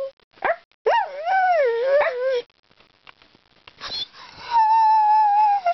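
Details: Ireland the talkative dog gives a short wavering whine-howl, a quieter gap, then a steady drawn-out howled note at the end.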